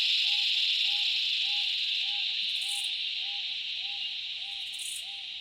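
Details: Cicadas in the Australian bush in summer drone in a steady, shrill chorus without pause, with a soft note repeating in the background.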